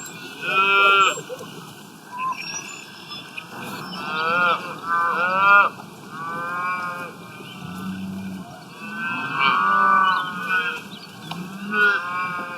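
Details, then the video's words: Cows eating grass in the wild moo repeatedly, about every two to three seconds. The calls are short, harmonic bellows, some overlapping as if from more than one animal, with quiet grassy rustle beneath. "Sound of Cows Grazing in the Wild, Sound Effect, Cows Eating Grass"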